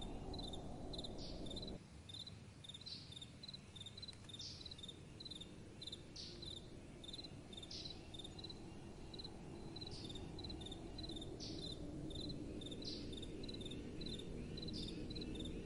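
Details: Crickets at night with soft wind blowing: short chirps of about three pulses repeated several times a second at a steady pitch over a low wind rush that drops away after the first two seconds.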